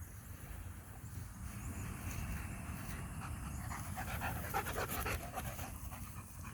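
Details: Strong show-line German Shepherd at a Florida kennel, breathing in steady, rapid panting bursts, nearly four per second, that grow clearer midway through, over a low rumbling background.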